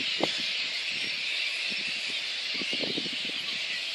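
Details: Little red flying fox colony at its Boonah, Queensland roost in Australia, 19 February 2014, before being disturbed into daytime flight. A constant high, squealing chatter with faint crackling rustles underneath.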